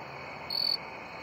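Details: Male jumping bush cricket (Orocharis saltator) singing one brief, clear, high musical chirp in a crabapple tree in early September, NW Ohio, one of the last crickets to join the late-summer chorus.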